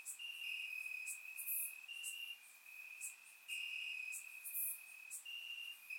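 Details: Crickets in grass on a warm summer night, Bulgaria, surround microphone; high, even trilling alternates between louder and softer stretches, with quick piercing chirps roughly every second.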